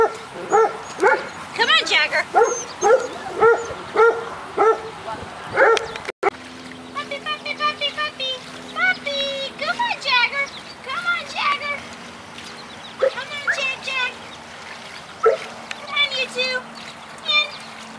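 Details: Six-week-old golden retriever puppies playing outdoors with agility equipment: rapid, high-pitched yips and squeaky barks in uneven bursts, several pups overlapping, some whiny rising notes, with a steady low hum in the background.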